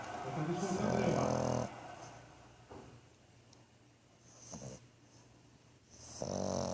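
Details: Thor, a French Bulldog, snoring while asleep: a long, rough, low-pitched rasping breath at the start, a quiet stretch with soft breathing, then another harsh snore building at the end.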